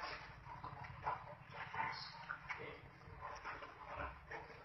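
Wild boars squeal and grunt harshly as they fight, in rough, irregular bursts.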